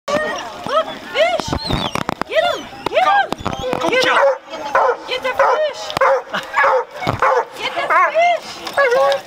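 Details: Pet dog barking excitedly at small fish at Lake Dense, giving short, rising-falling yelping barks in quick irregular bursts, with human speech mixed in throughout.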